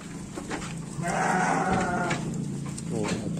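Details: Garut sheep being given supplementary feed, ewes among the flock eating: one wavering, harmonic bleat lasting about a second, over steady low humming, chewing and rustling noises, with a man talking nearby.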